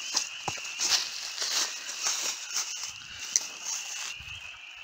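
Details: A dense chorus of spring peepers by a filled-in pond in the Connecticut woods makes a steady, high, shrill ringing of overlapping peeps.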